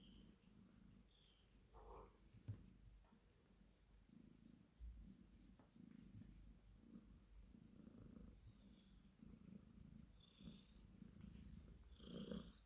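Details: Purring Cornish Rex cat being petted, a soft low rumble that swells and fades in regular pulses, with a few brief higher rustles and clicks near the start and end.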